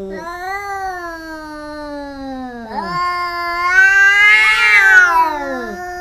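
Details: Cats fighting and biting each other: a long, slowly falling yowl followed by a second rising, harsher wail that swells louder with a rough, strained edge.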